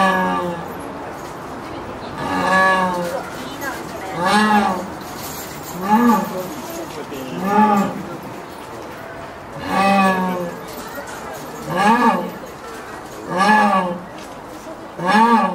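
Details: Evening calls of a zoo jaguar at Tennoji Zoo, Japan, directed toward another jaguar next door; a long series of about nine mournful, harmonic moans, each brief and rising, spaced roughly every one to two seconds.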